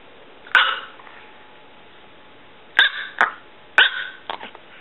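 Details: Pulga, a six-year-old female miniature Chihuahua weighing under three pounds, giving about five sharp, high yaps: one single bark, a pause of two seconds, then a quick pair and another pair, over a steady low hiss.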